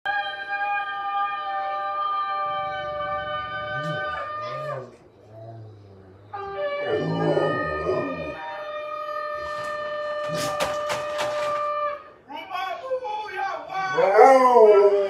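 A Rottweiler 'talks' in long, wavering moaning howls with rising and falling pitch.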